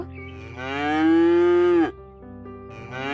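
A cow gives one long, steady, nasal moo lasting over a second, then drops off; a softer low bleat follows, with faint music in the background.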